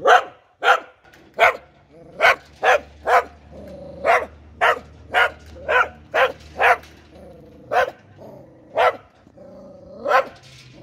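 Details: An Australian Cattle Dog (blue heeler) barks in sharp, repeated bursts, roughly every half second to a second.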